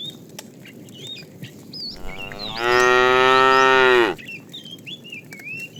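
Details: Cows herded in the morning, running happily toward green pasture. One loud, steady moo of roughly one and a half seconds dominates. Small birds chirp before and after it.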